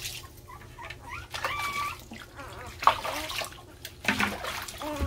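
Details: Puppies cry loudly, competing for attention while they get their first bath in very hot weather: short high whines and rising squeaks, one held tone, over trickling water and a voice.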